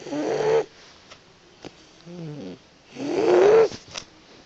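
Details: Sleeping Boxer puppy snoring: two loud, nasal, rasping breaths with a whining rise, separated by a soft fluttering snuffle.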